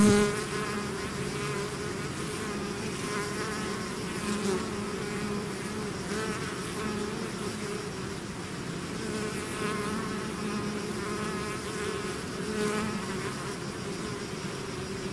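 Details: Droning hum of a bee swarm out of its hive, steady and full, with faint wavering higher buzzes as individual bees pass through the mass.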